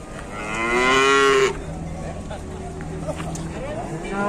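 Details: Very large bull nicknamed for its big muzzle, at a busy Indonesian livestock market; one deep, strained moo rising and swelling for about one and a half seconds, then crowd hubbub and market noise.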